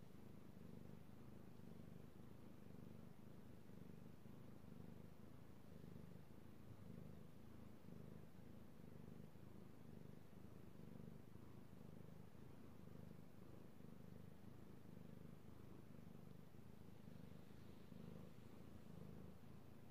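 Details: Male pet cat purring as he is stroked, recorded 16 March 2018; deep, unbroken rumbling purr with a gentle rhythmic swell roughly every second, quiet room background.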